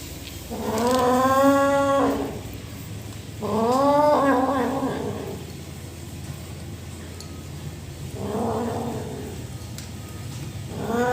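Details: Rescue kitten making complaining sounds while eating food as a person tries to help it; three drawn-out, harmonic meows of about two seconds each, separated by short pauses, with a soft steady background hum.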